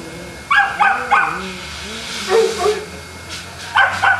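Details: Boston Terriers at a Jamundí kennel near Cali, Colombia, let out short sharp barks in a quick triple, then a softer pair and a final double bark, with human voices in the background.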